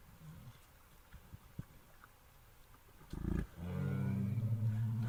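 A bear gives a deep, rumbling roar after a short, loud huff.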